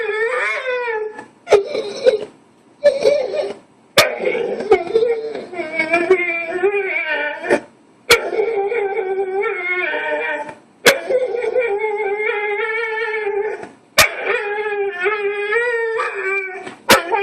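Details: A dog making a weird, persistent whining noise at a female bull mastiff lying too close to its bone, indoors; drawn-out wavering tonal whines with rich harmonics, broken by short pauses and sharp clicks.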